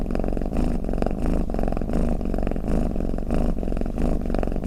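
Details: Cat snoring with a deep, fluttering purr, each breath marked by a gentle swell in the low rumble, repeating regularly with nothing else audible.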